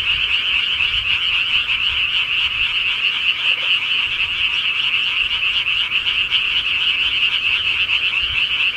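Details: Countryside frogs at night form an unbroken wall of fast, rattling croaks, many callers overlapping into a bright, even drone that never breaks across the whole stretch.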